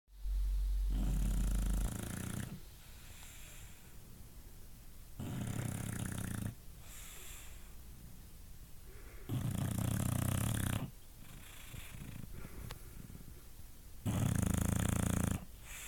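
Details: A female English bulldog sleeping and snoring in loud, rasping, low-pitched bursts roughly every four seconds.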